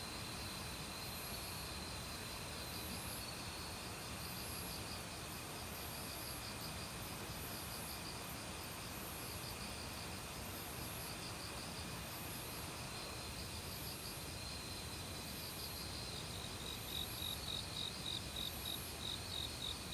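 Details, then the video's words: Autumn crickets in a forest, calling among various other insects. High, steady trilling and rhythmic pulsed chirps ride over a loud, constant rush of a mountain stream. "가을 귀뚜라미 소리"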